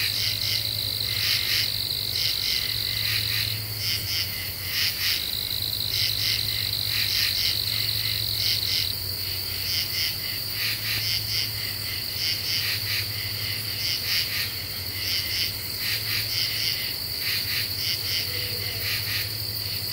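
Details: . Common true katydids calling in a dark deciduous woodland of the eastern U.S., summer 2013, after cicadas ceased. Overlapping scratchy pulse bursts come several times a second, backed by a sustained high whine and a low electrical hum.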